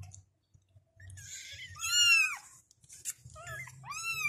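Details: Kittens call for their mother with arched high-pitched meows, one long rising-falling mew in the middle and another near the end, over a faint low rumble.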